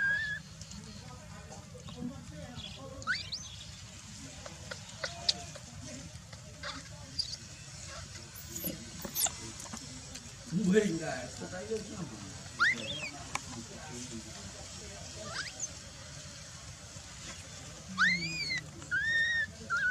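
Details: Baby macaque Dalton lies on the ground crying while his mother Dolly ignores him. Short, thin, high squeals and whistled chirps are scattered through the recording, ending in a run of arched, harmonic-rich cries, over a steady low background rumble.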